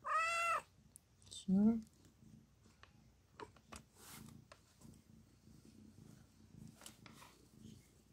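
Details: Cat giving birth to four kittens: a short meow, then a lower rising, strained call, followed by several seconds of soft clicks, rustling and quiet handling sounds indoors.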